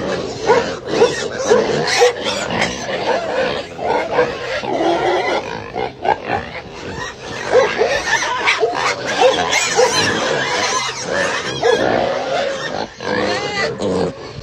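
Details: Several pigs at Knuckle Bump Farms during a workout and cuddling session. Dense, overlapping grunts and shrill, rasping squeals run almost nonstop, with only brief dips between bursts.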